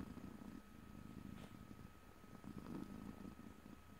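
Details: Purring house cat recorded in stereo, no talking; a steady low rumble continuing through the whole stretch with a faint soft click near the middle.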